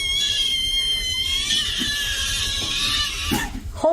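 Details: Domestic cat in a funny cat compilation, indoors, giving a long drawn-out harmonic meow held steady for about three seconds, then a short rustle and a brief higher note at the end.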